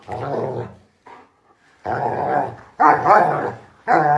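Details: Playful German Shepherd dog producing a series of rough, throaty growling bursts, each about a second long, growing louder and more ragged toward the end, separated by short silences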